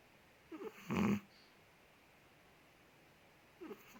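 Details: Sleeping Chihuahua Ted, a big dog from Indonesia, gives one short raspy snore after a faint squeaky intake of breath, then a long quiet stretch and another soft squeak at the end.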